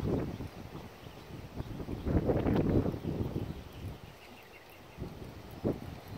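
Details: BR Bigshot, called Echo, a 6-year-old registered Appaloosa gelding standing 16 hands, former trail horse, asked to extend, jog, turn around and switch leads one evening; dull irregular thudding hoofbeats with rustling and wind noise.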